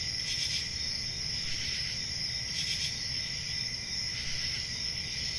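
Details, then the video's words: Steady high-pitched trilling of many crickets, with a lower buzzing band beneath. Short louder rasping pulses appear near the start and again around the third second, over quiet low-frequency noise. "Relaxing Cricket Sounds"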